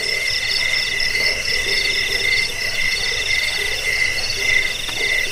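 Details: A chorus of high insect chirps pulsing in short, evenly spaced bursts over a dense buzzing background, with a slightly fuller low end. Cricket sound presented for repelling rats, aiding sleep and training birds.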